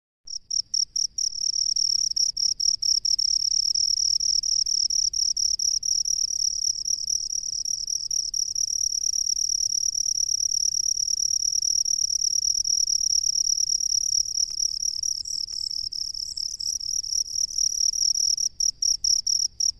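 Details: Cricket living in rice fields, a loud continuous high-pitched ringing trill held steady, broken by short chirping pulses at the start and end, with faint low rumble beneath.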